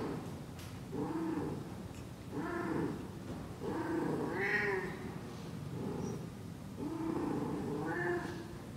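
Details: Persian cat in heat yowling with low, moaning caterwauls, each long and wavering, repeated in steady waves about every one to two seconds.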